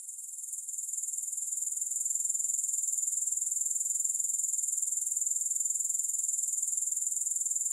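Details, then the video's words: Grasshopper chorus: a shrill, unbroken high trill with a quick steady pulse, swelling gently during the first two seconds and then holding level. "Grass Hopper Sounds"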